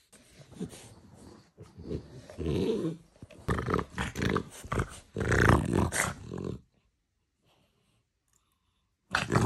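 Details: French bulldog at feeding time giving loud, rumbling growl-like grunts with a low harmonic throatiness in bursts, then a few seconds of silence before one final abrupt burst.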